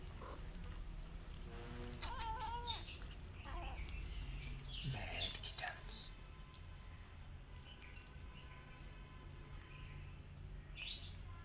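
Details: Rescue cat with kittens eating together: a short, bright harmonic meow rises and falls near the second mark, amid human speech, clinking and feeding noises, then quieter background hum.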